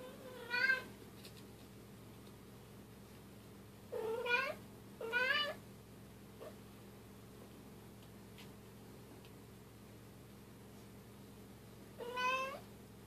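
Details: Bengal cats, a young silver kitten at family play time with its mother and sister; four short harmonic meows, rising then falling, come at irregular gaps with long quiet stretches between, over a steady low electrical hum.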